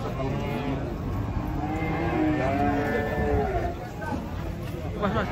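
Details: Cattle unloaded from a truck in Indonesia, the front one raging; a drawn-out, wavering low moo in the middle seconds beneath people's voices and general outdoor noise.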